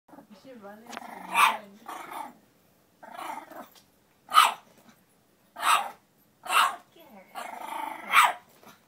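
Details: An 8-week-old French Bulldog puppy fights her own reflection, giving short, sharp, high barks and growls in separate bursts about a second apart, with a person's voice heard between them.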